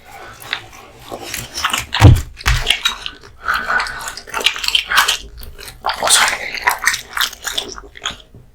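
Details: A male American Bully called Kotetsu bites into raw meat and bone in a small room, giving sharp crunches and squelching chews in uneven clusters, with one heavy low thump early on.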